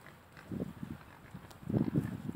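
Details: Short low grunts from pigs, two pot-bellied pigs and two Mangalicas kept together, a few soft snorts then a louder cluster of grunts near the end.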